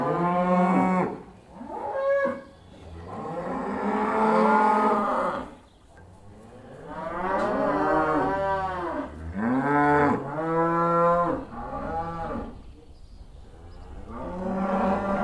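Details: Herd of cows going back to the barn, a busy chorus of moos overlapping, some long and wavering, others short and arched, with hardly a silent moment.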